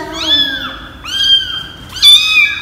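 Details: Kitten eighteen days old, with its formerly stray mother, at a first home health check by a vet and nurse in Phnom Penh, Cambodia: three clear, high, tonal mews, each gently rising then falling, about one second apart, little background noise.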